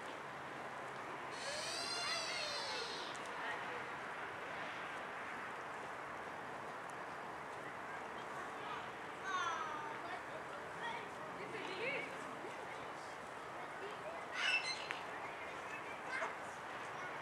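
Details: Sika deer (Cervus nippon) giving high, squealing whistled calls with sweeping pitch over a steady background hiss; Tuitjenhorn, Holland.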